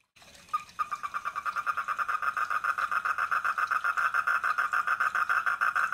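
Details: At a koi pond a wild four-lined tree frog starts after a brief quiet moment, then produces a fast, even train of clacking pulses on one mid-range pitch, roughly three or four per second, growing steadily stronger.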